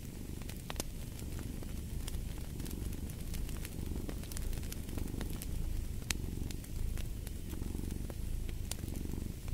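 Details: Cat purring steadily beside a crackling fireplace: a low, rumbling throb that swells and fades with each breath about every two seconds, while sharp pops and snaps of burning wood break through on top.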